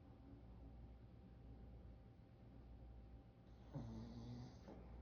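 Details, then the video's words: Sleeping dogs snoring: a low, steady rumbling breath sound that fills the clip, with a louder, rougher snort rising briefly near the end. "Rotten dogs snoring"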